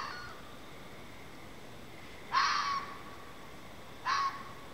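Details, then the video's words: Red fox heard outdoors over a period of time, possibly during mating, giving two harsh, hoarse screams about two seconds apart over a quiet background. "Weird animal noises from outside.. (Update: it's a fox)"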